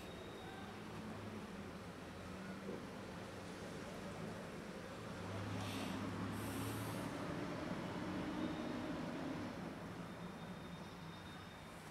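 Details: Steady road traffic rumble with passing vehicles and faint distant voices; no animal sound is heard.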